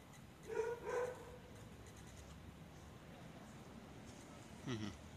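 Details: Pet cat making funny noises while asking for more chicken: two drawn-out, tonal mryak-like mews close together near the start, then a short, lower sound about four seconds later, with a person talking softly in between.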